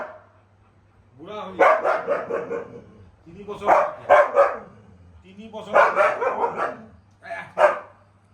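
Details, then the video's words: Pet Siberian Husky 'arguing' back at its owner: bursts of drawn-out, wavering, harmonic woo-woo vocalizations about a second each, coming in four bouts with pauses, plus a low steady hum underneath. "Husky and his father(owner) have an argument"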